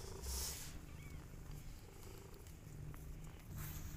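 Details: Mother cat with her kittens, said to be jealous of them, giving a soft, steady, low rumbling purr throughout, with a brief faint hiss of background noise near the start.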